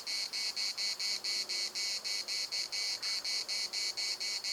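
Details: In the municipal park at Larnaca, cicadas give a strident, metallic buzzing song, chopped into regular pulses roughly every half second, unbroken for the whole stretch.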